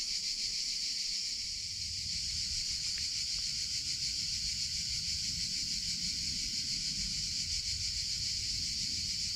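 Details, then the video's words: Summer chorus of male cicadas, a dense high buzzing that holds steady without a break, finely pulsed, over a soft low background rumble. "CICADA SOUNDS - Sound Effect of Cicadas in Summer Sounds of Cicada (Chicharra, Campanero)"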